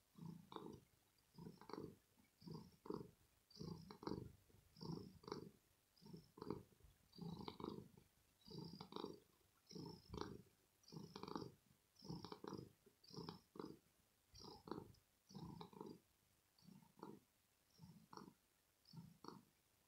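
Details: Domestic cat purring after play, a very deep throaty rumble in steady pulses about once a second, each breath cycle clearly separated, no other sounds.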